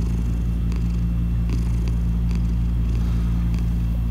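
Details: A black cat purring after waking up, a loud, steady low rumble pulsing about three times a second, with faint soft clicks and rustles above.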